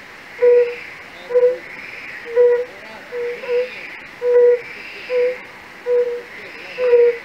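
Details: European fire-bellied toad from a pond in Raduň castle park, Opava district, Czech Republic, where toads call in large numbers: a steady series of nine soft, musical hoots in seven seconds, gentle and bell-like, over a soft, rushing background wash.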